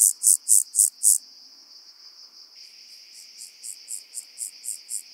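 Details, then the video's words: Omocestus petraeus, the rock-dwelling grasshopper, recorded on Cres, Croatia, 13 July 2022: five loud high rasping pulses open, a quiet gap follows, then a softer regular run of short buzzy pulses resumes. "Omocestus petraeus -- Felsgrashüpfer -- Rock-dwelling Grasshopper"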